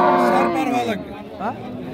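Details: Improved-breed dairy cow at Raniganj cattle market, Bangladesh, 17 November 2025; a short harmonic moo sliding downward over about one second, then a brief rising bleat, with people talking nearby.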